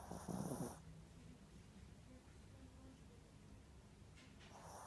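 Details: Ricky, a sleeping Spitz dog, snores: a loud raspy burst with a low buzzing tone opens the recording, then quiet breathing hiss, and a second snore swells near the end.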